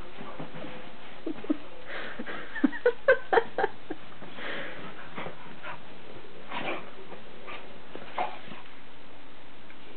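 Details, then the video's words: Jasmine, a pet dog, in her usual after-bath ritual indoors: a cluster of short, squeaky whimpers near the middle, set among snuffling, sniffing and rubbing, scuffling noises in a small room. "Jazzys After Bath Ritual"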